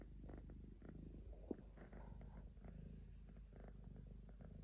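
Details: A three-legged pet cat purrs in its sleep, a deep pulsing drone kept up the whole time, broken once by a brief sharp click.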